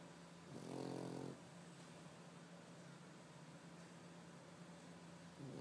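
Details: A 3-year-old white male Pekingese snores loudly while sleeping, a low, rasping rattle loudest in one drawn-out breath.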